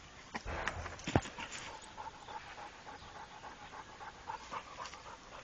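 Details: Soft, quick panting breaths from Rako, a trained Pit Bull, with a loud thump near the start and low background hiss.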